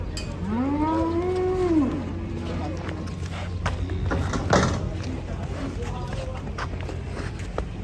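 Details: Huge cattle being loaded onto a truck. One long moo swells, bends upward, then falls away over about a second and a half, followed by clattering and a steady low hum.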